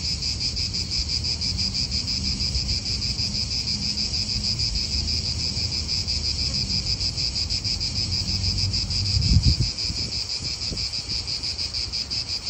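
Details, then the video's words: Cicadas in an Italian park: a steady, dense shrilling buzz with rapid pulsing, continuous throughout, over low rumbling wind and distant traffic, with a brief thump near the ninth second. "Cicadas wind real atmosphere in an Italian park"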